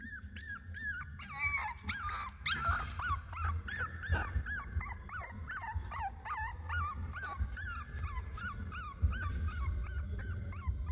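Puppies cry in a chorus of high, arching whines and yelps that overlap almost without pause.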